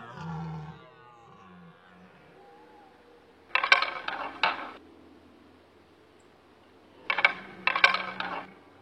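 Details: Red deer stags bellow in two harsh, grunting bursts during the rut at sunset on the Aubrac mountains, France, issuing challenges, with faint music at the start; recorded in the early 2000s.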